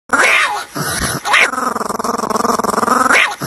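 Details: A dog voicing loud, continuous vocal sounds: a rising whine-like onset, a brief pause, then a long harmonic growling stretch with rapid pulsing, ending in another high rising whine.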